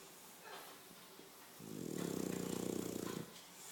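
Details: English Bulldog snoring: a single low, rattling snore of about one and a half seconds rises out of quiet room tone and stops abruptly.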